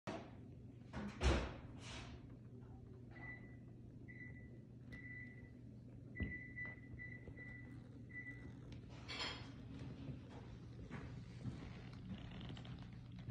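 A Yorkshire Terrier puppy gives thin, high, steady whines in short and longer bursts, wanting to go out.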